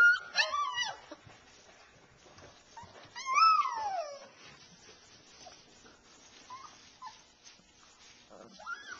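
Alaskan Malamute puppies give high, wavering whines and yips, with a long falling whimper near the start.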